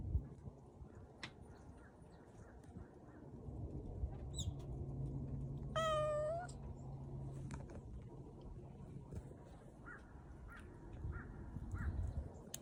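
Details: Single rising-then-falling meow from Bori, a street cat on a warm spring walk, sounding briefly midway through steady low traffic-like rumble and scattered outdoor clicks.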